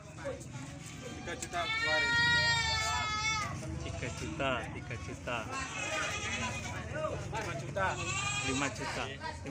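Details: Goats at Pasar Semuli Raya goat market, a busy trading place: a long, wavering, quavering bleat with rich overtones, then further shorter bleats, over steady human chatter and crowd noise.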